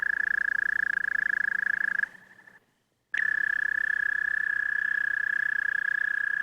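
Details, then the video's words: American toad singing: a long, steady, musical trill held at one even pitch, rapidly pulsed, fading and breaking off for about a second midway before resuming just as strongly; no other animals heard. "American Toad Singing"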